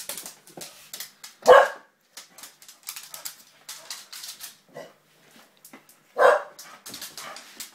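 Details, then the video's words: Springer spaniel at play with a young girl: two short, loud barks roughly five seconds apart stand out over steady clicking and tapping sounds. "Mad dog springer spaniel"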